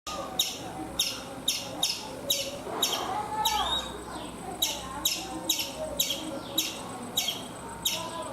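A chipmunk gives sharp, high chipping notes repeated steadily about twice a second.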